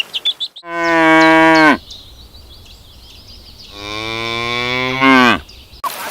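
A cow gives two long, harmonic-rich moos, each about a second, the second starting low and rising; a few faint bird chirps sound at the start.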